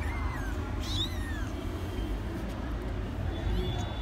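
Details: Three 15-day-old kittens playing together: thin, high mews, first a falling cry, then an arched one sliding up and down, with fainter squeaks near the end. A steady low rumble runs underneath throughout.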